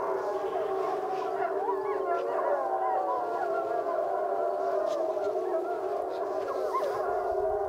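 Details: The Wapiti Lake gray wolf pack gathers for a group howl, with long, wavering, overlapping tones blending into a steady chorus.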